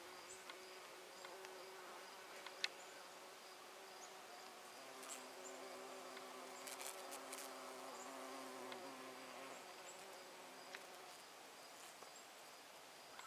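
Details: Honey bees busily collecting nectar from flowers: a continuous droning buzz of several overlapping tones that waver slightly as bees pass, with a few soft clicks scattered through and the hum easing toward the end.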